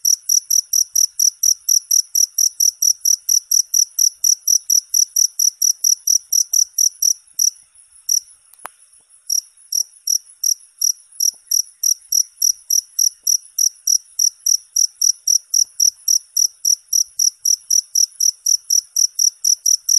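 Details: Cricket chirping in a long, steady run of short, high, ringing pulses, about four per second. A brief faltering pause comes near the middle, with a single sharp click. No other animals are heard.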